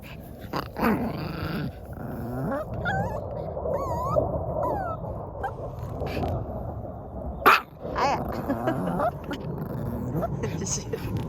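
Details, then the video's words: Pet dog struggling desperately so that something is not taken from it: rumbling growls mixed with rising and falling whimpers and whines, a sharp loud yelp near the middle, background music and a person talking. "뺏기지 않으려고 발악하는 강아지"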